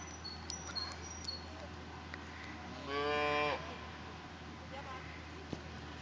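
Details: White Galloway cattle on the Fageralm pasture in Elsbethen, Salzburg, recorded 14 May 2013: a single strong moo under a second long, preceded by high, sharp bird chirps and a quiet outdoor background.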